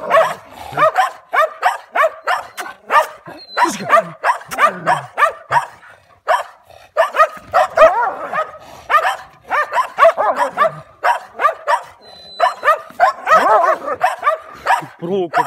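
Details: German Shepherd confronting stray dogs, barking in fast irregular bursts, several dogs overlapping with sharp repeated barks, growly yelps and brief whines, barely a pause for fifteen seconds.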